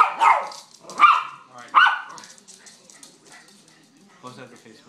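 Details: Pet chihuahua puppy lets out three loud, sharp yapping barks less than a second apart, then falls quiet while a person's voice murmurs faintly in the background.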